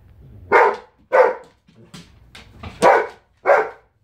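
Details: Giant Schnauzer bitch protesting at home after being kept out of the kitchen, giving loud rough barks spaced irregularly with low grumbling vocalisations between them in a small room.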